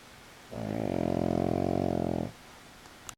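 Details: Male pug asleep on his back with legs raised lets out one sustained rasping snore lasting under two seconds, steady and buzzy, followed by silence.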